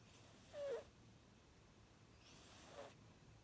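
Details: Sleeping Chihuahua-Dachshund mix puppy snoring softly: two breathy, hissing breaths about 1.7 seconds apart, the first with a short nasal rasp, in an otherwise quiet room.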